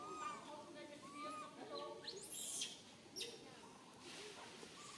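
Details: High in a tree, a tiny baby monkey left alone calls out for its mother: thin, wavering whistled cries in quick runs early on, then quieter, with two crackling rustle bursts.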